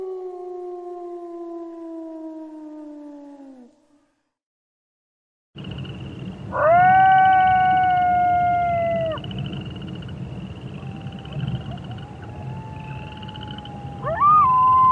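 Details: Wolf howl: a smooth falling howl fades out, then after silence a new section opens with a hissing, rumbling background, where a strong rising-then-level howl is followed by thinner, higher howls.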